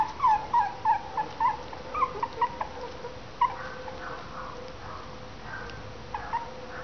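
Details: Westie/Maltese cross puppies at three weeks old: a few short, high squeaky whimpers in the first seconds, then fainter scattered squeaks over a steady low hum.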